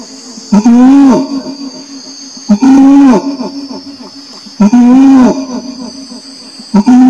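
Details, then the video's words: Orangutan voice: loud, rich moaning calls that arch up and slide down, spaced about two seconds apart, with a continuous shrill insect hum in the background. "SUARA ORANG UTAN"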